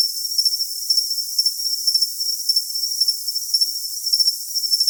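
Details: Cricket sound offered for tinnitus masking: high, thin chirps on a steady ringing tone, pulsing in short bursts about twice a second, with a fainter shimmer above. There is no low sound at all.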